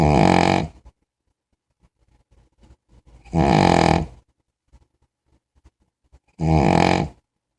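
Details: A big puppy in deep sleep gives three loud, grunting, rattly snores about three seconds apart, with soft snuffles between them in a quiet room.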